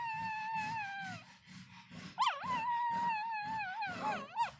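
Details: A sleeping pug puppy, dreaming, gives drawn-out, wavering whines and small yelps over soft rhythmic breathing.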